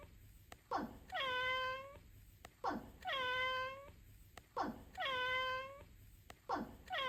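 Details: House cat repeatedly meowing in a small room, three full meows and the start of a fourth, each a gritty burst leading into a sustained clear tone that sags slightly, about two seconds apart.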